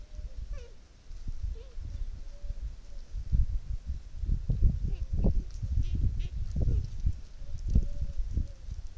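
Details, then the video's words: Trail camera in a Sierra Morena dehesa, 1 October 2023: a rutting fallow deer buck gives the ronca, a throaty guttural grunt of the mating season. Repeated rough, deep pulses throb steadily through the middle seconds, with soft birdsong whistles in the background. "la ronca del gamo"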